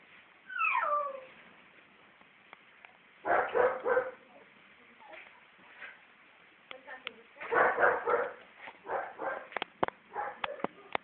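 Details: Four-month-old female Siberian Husky puppy giving a sliding, falling whine, then repeated harsh, chattering yowl bursts and short yips. A woman speaks softly in the background.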